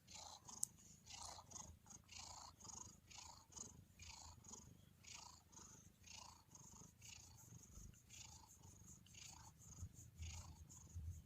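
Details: Soft purr of a relaxed domestic cat, quieter and breathier, with a gentle low rumble and hissy inhale-exhale bursts repeating roughly every half second.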